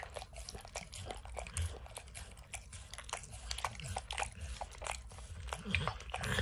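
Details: Max the dog eagerly licks peanut butter and kibble off an orange mat; rapid sticky smacks and crunching bites overlap in a busy, uneven rhythm with soft low bumps and no human speech.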